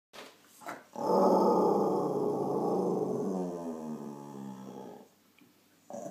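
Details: Scottish Terrier dog 'talking' as a hello: a sustained, moaning, growly vocalization with wavering harmonic tone lasting about four seconds, rising then slowly fading, indoors.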